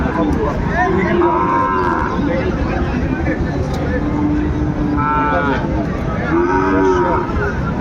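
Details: Sahiwal bull calves for sale at Ambari market in Dinajpur, Bangladesh, on 27 February, early in the market day. Several drawn-out moos rise and fall over steady crowd chatter and market noise.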